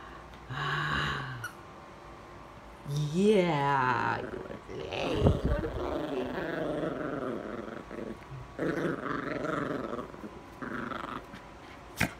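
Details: Bean, a female miniature pinscher, growls while playing fetch and tug-of-war with a soft green elephant toy; low, buzzy, harmonic growls come in bursts, mixed with a person talking to her indoors.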